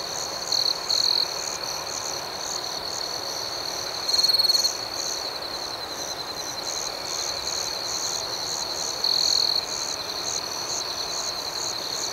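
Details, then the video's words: Gentle nocturnal chirping of crickets, an unbroken high trill punctuated by three brief, stronger bursts spread across the recording. "Soothing Cricket Sounds"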